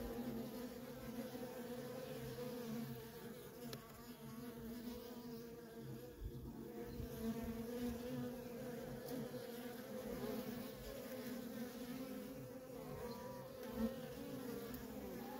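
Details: Nonstop worker traffic at a feral honey bee colony: a continuous mid-pitched drone with soft fluctuations as individual bees pass, steady for the whole stretch with no other sounds.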